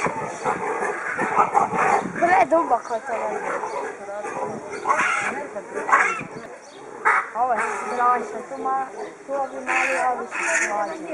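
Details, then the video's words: Male baboons fighting while guarding their females in a harem group: bursts of loud, rough screaming and barking calls with rising and falling harmonic wails, several animals calling over one another, brief lulls between outbursts. "Pavian Kampf Baboon Fight Territorial"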